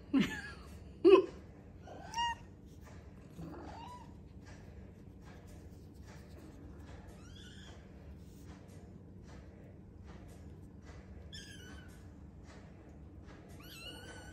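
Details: Arty's kittens calling indoors: a rapid string of high, wavering mews, some loud and sharp at the start, then softer repeated squeaky cries roughly once a second over a low background hum.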